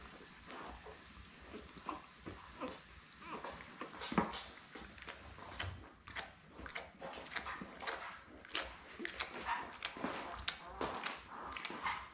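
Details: Newborn Labrador Retriever puppies, a litter of seven born May 24, 2021, with their mother Belle on a live puppy cam on 4 June; soft squeaks and whimpers amid frequent shuffling, clicking rustles.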